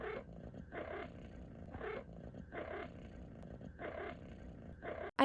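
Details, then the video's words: A pet cat chirping uncontrollably while also purring: short harmonic chirps repeated roughly once a second in bursts, over a steady low purr rumble, with a loud noise at the very end. "CAT CHIRPS UNCONTROLLABLY"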